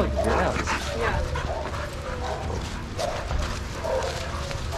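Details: Shelter dogs playing together in a yard at Pima Animal Care Center, Arizona, watched by trained handlers; rough bursts of barking recur through a noisy, echoing yard with scuffling and background chatter.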